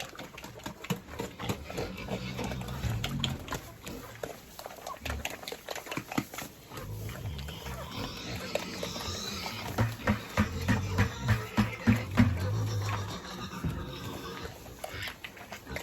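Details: Pigs on a farm during chores, eager to be heard: a dense run of low grunts and snorts, roughly three per second, with a rougher, louder stretch of grunting near the end and clatter in the background.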